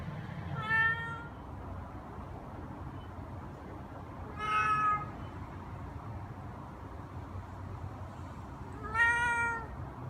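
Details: Three separate meows, spaced roughly four seconds apart, from Eva, a chatty silver-and-white tabby cat aged three to ten months, over a quiet low hum.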